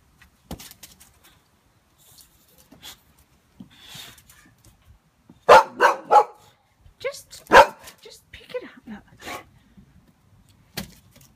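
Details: Frightened by a balloon, Pixie the Boxer dog bursts into a tight run of three gruff barks, then more scattered barks and yips, with soft clicks and a human voice between them.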